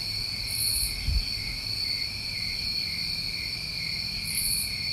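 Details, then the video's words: New England summer crickets form an unbroken, even high-pitched trilling chorus in stacked bands, joined by two short very high insect buzzes at the start and end and a faint low thump just after one second. "Tinnitus Masking With Crickets"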